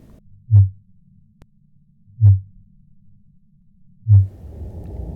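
A fin whale's song: deep, thudding pulses repeated at a steady beat, like a slow heartbeat.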